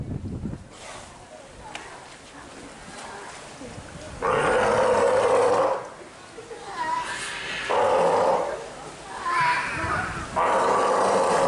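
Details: Steller sea lion pup, 10 days old, with its mother at Marinpia Nihonkai aquarium, Japan, filmed 12 July 2023 in poor weather while active and nursing: four loud, hoarse, bleating roars in bursts of about one second, over a low murmur of background voices.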